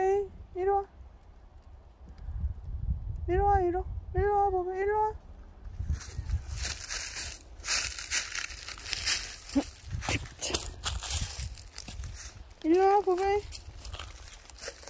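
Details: Pet cat described as very dog-like, filmed unedited; a few drawn-out, arching tonal meows, first a short pair, then a longer run of rising-falling calls, a gap filled with rustling and handling noise, and a final meow near the end.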